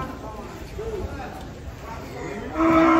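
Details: Angry cattle, one of three cows being unloaded from a truck and out of control, gives a loud harmonic bellow near the end after a quieter low moan, with people's voices in the background.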